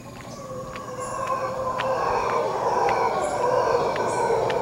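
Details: Costa Rican howler monkeys near Quepos roaring continuously, a gravelly, eerie drone that grows steadily louder throughout, with sharp clicking insect-like ticks scattered over it.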